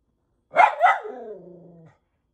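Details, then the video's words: A miniature poodle barking at animals on TV gives two quick sharp barks that trail into a long, falling whine. "Mini Poodle DOG BARKING AT TV ANIMALS"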